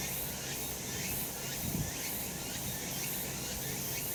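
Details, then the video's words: Short stretch of summer mountain cicadas in the sun: continuous shrill buzzing overhead, interrupted once by a brief low thump midway. "セミの鳴き声 夏の山 日なた"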